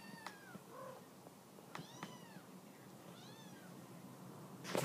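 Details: Halifax Humane Society mother cat calling her kittens off the couch: several brief, high, bending meows with small clicks between, ending in a burst of rustling noise.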